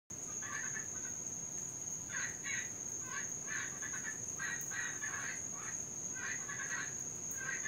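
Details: Cuban tree frogs in Florida, heard all night long and especially loud in rain, give raspy, grating bursts repeated in clusters about every half second, several frogs overlapping, over a steady high-pitched whine and faint background hiss.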